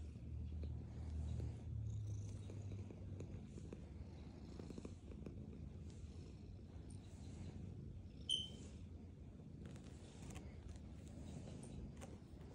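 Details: Black cat purring while eating food: a low rhythmic rumble, strongest in the first three seconds then softer, with small clicks and a brief sharp tick near the middle.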